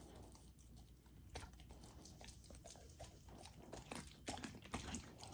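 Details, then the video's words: Golden Retriever puppy, female, indoors eating a raw, partly frozen dinner; irregular soft crunches and wet smacking chews, about two per second, with louder bites near the end over a low room hum. "Raw Dog Food MUKBANG for my Puppy! ASMR EATING SOUNDS"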